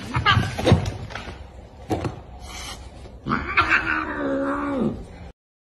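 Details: Kitten producing several short cries, then a long drawn-out wavering meow that bends downward at its close, with some room noise around it.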